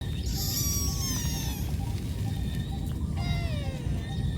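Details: Cat calling its mother for food; two high, harmonic calls, the first long and level, the second shorter and sliding downward, over a steady low rumble of background noise.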